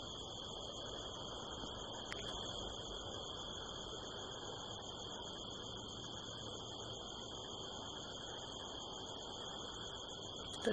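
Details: Night chorus of crickets in the California desert hills, almost nine o'clock in late September; continuous shrill trilling holding steady at several high pitches over a soft rushing background, one faint tap near the start and a knock at the end.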